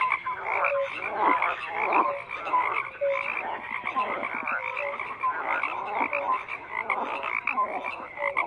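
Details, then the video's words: A busy frog chorus: rough croaks repeating irregularly, roughly eighty-eight a minute, among many overlapping callers and short clear notes. "FROGS CROAKING"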